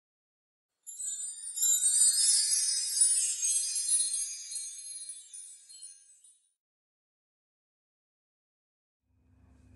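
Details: Bright tinkling chimes and jingling bells ring for about five seconds, fade away into silence, and a low rumble starts at the very end.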